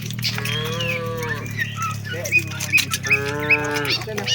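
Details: Herd of tame cattle heading to the shed; two separate moos, the first slightly falling, the second steadier, over a constant low rumble with scattered bird calls.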